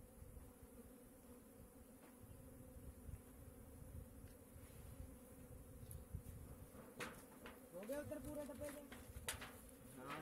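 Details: Hive-kept honey bees in a beekeeping setting produce a continuous drone that swells louder toward the end, mixed with occasional handling noises and faint human voices.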